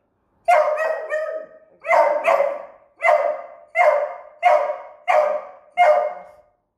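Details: A young beagle puppy, scared on its first encounter with a remote control car, barks seven times in a steady series, roughly one bark every 0.7 seconds, each a harsh clipped yelp.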